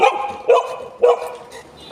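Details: Household Golden Retrievers José and Butter, meeting a new friend. Three loud, clipped barks in quick succession, half a second apart, then a short quiet spell.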